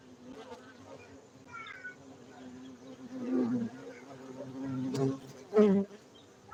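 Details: Gayo honey bees kept at an apiary in Bener Meriah, Aceh, Indonesia, humming in a constant low drone, with louder passing buzzes rising near the end.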